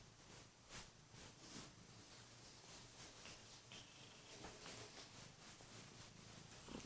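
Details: Kurilian Bobtail cat indoors in the morning, jumping onto the bed to wake its owner with loud purring and gentle nips at the hands; a soft, steady purr pulsing in a quick rhythm under faint rustling.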